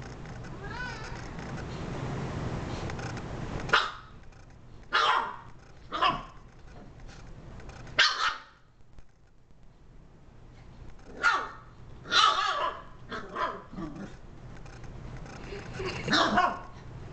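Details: Mira, a female Shiba Inu, barks at the remote while the household cat sits nearby. She lets out a string of sharp, short barks at irregular intervals, with some quieter gaps between bursts.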